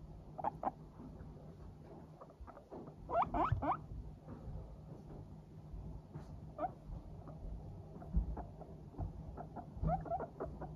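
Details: Several Teddy and Abyssinian guinea pigs walking briskly in a happy mood, giving soft 'pupupu' chatter: short clipped pulses in loose bursts, with a denser flurry near the middle, over low steady hum.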